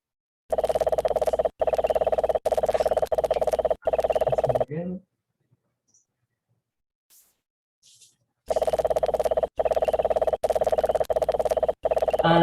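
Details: A cane toad, widespread in Puerto Rico, gives a steady, low, purring trill in repeated bursts about a second long; it is played to contrast with the call of the Puerto Rican crested toad.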